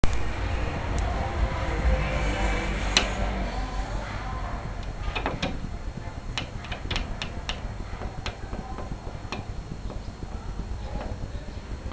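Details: Indoor rustling with scattered sharp clicks and taps over a steady background hiss; no animal voice is heard.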